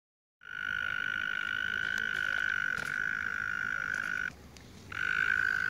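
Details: Tiny frog with a loud throat, come upon on the way home, gives a continuous buzzy trill on one steady high pitch. It starts after a brief silence and drops out for about half a second before resuming, loud and unbroken.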